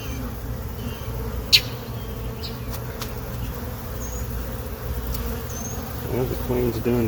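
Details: Constant low humming of a honey bee colony in a hive box, occupied since April 29, 2022, during an inspection of a laying queen's brood; one sharp tap early, and a voice briefly near the end.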